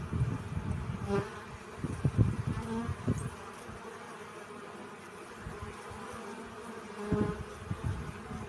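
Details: Honey bees collecting pollen, a steady low droning hum with layered tones, broken by several loud low thumps and rustling bursts near the start and again around seven seconds.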